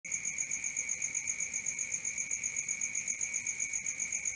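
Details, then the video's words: Crickets at night: a dense, high, shrill chirping pulsing steadily about four times per second over a lower continuous ringing tone, with faint soft background hiss and no other clear sounds. "Cricket 1 hour for Sleeping & Relaxation"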